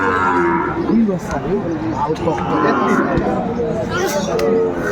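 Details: Cattle lowing at a Sahiwal bull market in Comilla, Bangladesh, 12 February 2025; brief, partly masked moos rise out of crowd noise and chatter, with a low, curving call near the first second.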